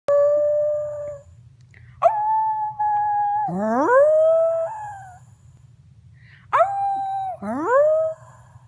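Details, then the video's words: Small pet dog howling: three drawn-out tonal bouts, each starting with a sharp upward slide into a steady held note with rich overtones, the middle one swooping up from low and wavering, separated by short silences; a quiet low hum underneath. "Funny Talking dog"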